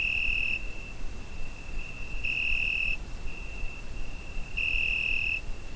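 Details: Summer night cricket captured on a Zoom H5, its continuous high, ringing trill punctuated by three intensified bursts a little over two seconds apart, with faint low ambient noise beneath.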